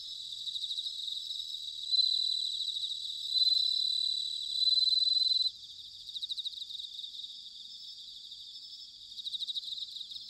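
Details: Bell cricket chorus from Sanuki in Chiba Prefecture, Japan, in autumn. Loud ringing phrases rise and stop abruptly for several seconds. After them come softer trills with short rhythmic pulsed bursts repeating roughly every three seconds.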